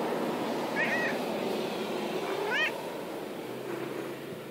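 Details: Pet cat at play in the grass, making two brief chirpy meows about two seconds apart, each a short bent trill, against a loud broad rushing background noise.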